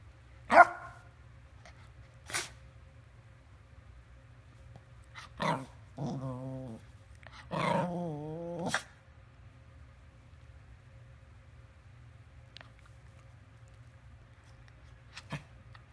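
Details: Yorkshire Terrier giving two short, isolated barks, then two drawn-out, wavering, whining howls of about a second each, and a few faint clicks in a quiet room with low background hum.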